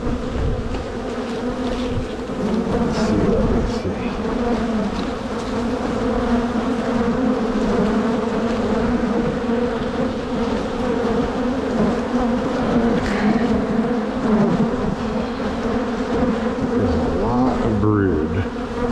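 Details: Honey bees in a strong spring hive opened by a beekeeper for a walk-away split, frames of brood and queen cells lifted out; a dense, steady low hum of many bees with a clear drone-like pitch and its overtone, with occasional handling knocks.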